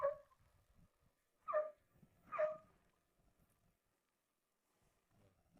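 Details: Angry dog in a backyard, upset at another dog bothering the chickens. Three short, tonal barking yelps sound about a second apart, then near silence follows.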